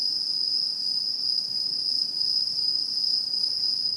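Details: Autumn insects calling in satoyama countryside in 2016: a steady, unbroken high-pitched ringing trill with a fainter, even higher overtone, constant in loudness throughout, with no other clear sounds.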